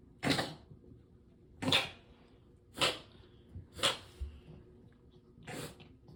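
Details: Gray, a big gray mixed-breed rescue cat with a mohawk, kept indoors in a small one-story house in Japan, having a coughing fit diagnosed as reverse sneezing: five sharp, breathy, snorting bursts about a second apart, recorded to show a veterinarian.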